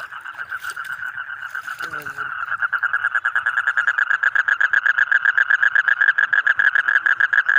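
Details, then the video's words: Frogs calling, part of a set of colourful frogs, yellow, green, red and others: a steady fast chorus of short pulsed notes, about four per second, growing louder after a brief voice and a clatter near the start. "Different Colorful Frog Sound ।। Yellow, Green, Red, etc"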